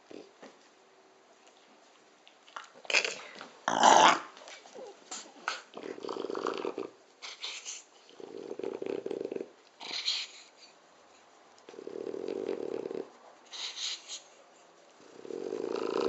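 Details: A 7-year-old French Bulldog snores in deep, rumbling breaths, with snuffly wheezes between them.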